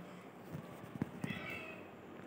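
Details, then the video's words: Aegi, a male pet cat, busy licking and grooming his body while being talked to; a short, soft, quiet meow rises late in the clip after a few low soft taps, over faint room noise. "Talk to busy cat licking his body"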